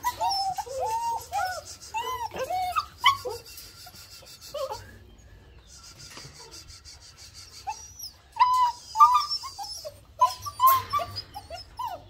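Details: German Shepherd puppies making scattered whines and squeaky yelps in short bursts, separated by quiet gaps filled with a steady high hiss and rustling.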